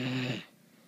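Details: A Great Dane sleeping during the day gives a deep, rumbling snore that fades out after half a second.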